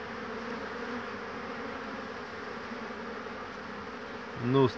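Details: Many honey bees returning to their hive on 22 March 2019, bringing lots of pollen, tired ones resting on the hive roof; a steady, dense, low buzzing hum throughout, ending in a brief louder tonal sound.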